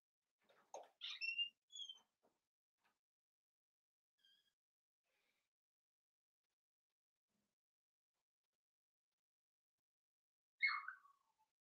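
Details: Overnight in an indoor litter of three Cavalier King Charles Spaniel puppies born in June 2022, a high squeaky whine slides downward near the start, then long silence before a second brief falling squeak.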